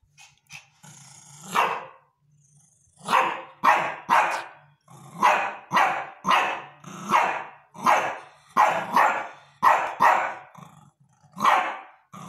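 A Shih Tzu barks repeatedly in short, sharp, high-pitched yaps, some in quick pairs.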